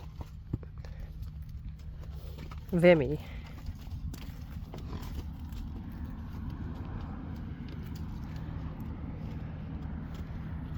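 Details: A Friesian horse lets out one brief, trembling neigh with a wavering pitch, followed by steady low background hum and faint hoof and movement noises.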